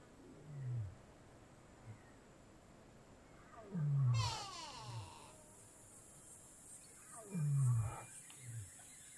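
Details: Wild lion in Kgalagadi Transfrontier Park, Africa, giving deep, low grunting roars that fall in pitch: three strong bursts about every three to four seconds with softer grunts between, over a steady high insect-like hiss and a brief raspy sweep.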